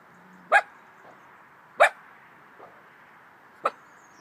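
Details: Pet dog with a baby-like voice barking indoors: three short, sharp, yappy barks spaced roughly one and a half seconds apart, over a steady low hum.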